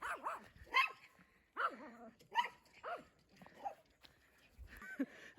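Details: Retriever on a summer seaside outing to swim in the countryside, giving a run of short, harmonic barks, about six sharp bursts in five seconds at uneven spacing, with faint human voices between them.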